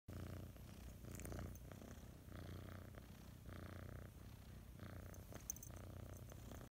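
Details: A domestic cat, said to be happy, purrs softly indoors: a low, steady rumble that swells and fades in breathing phases of about one to two seconds each, with no other sounds.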